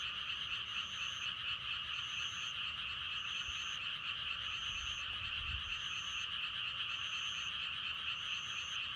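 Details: Frogs croaking together in a dense, unbroken chorus meant for meditation and sleep. A high thin note returns about every second, and a brief low thump sounds midway.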